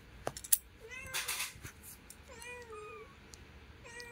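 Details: Young kitten beside its mother mewing in short high cries, one longer call bending downward, between bursts of rustling and clicks in a quiet indoor space.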